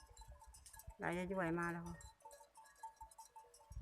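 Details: Water buffalo heading into the pen at dusk, 6 June 2020: one wobbling, nasal call of about a second over rustling, thumps, a steady hum and distant voices.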